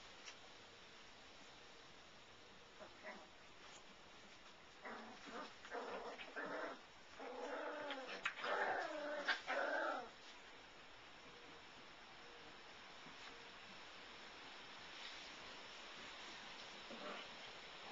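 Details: Five-week-old Labradoodle puppies from the Goldie/Seeker litter: after a quiet start, a cluster of high, whiny whimpers and short yips builds mid-clip, some notes rich and tonal, then fades back to steady background hiss with a last faint whine.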